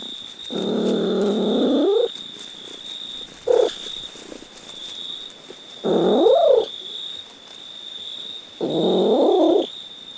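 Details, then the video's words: Cat meowing repeatedly: long, nasal, wavering meows of about one to one and a half seconds alternate with short chirped ones, separated by quiet gaps, over a constant high electrical-like whine. "Funny Cat Sounds"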